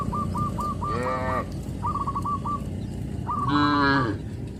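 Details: A herd of tame traditional livestock cattle in the countryside, calling to their companions: two clear drawn-out moos, the second longer and louder, with quick bursts of short, chattering higher notes between them.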